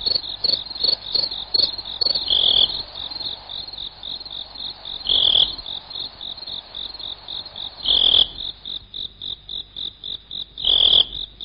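A cricket chirps steadily in rapid, high-pitched pulses, with louder bursts every few seconds.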